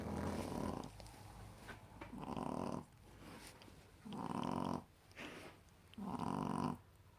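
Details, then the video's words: Bunny, a female Shih Tzu puppy, asleep beside her porcelain friend and snoring loudly: four long rasping snores, each about a second, separated by quieter breathing pauses in a calm indoor setting. "Snoring puppy!"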